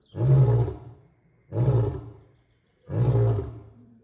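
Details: Deep roars from a male lion, three powerful low booming grunts spaced roughly one and a half seconds apart, each swelling quickly then trailing off.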